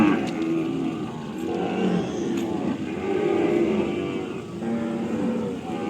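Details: Farm cattle giving low, drawn-out moos one after another, some overlapping, with a steady background rumble that may be a vehicle.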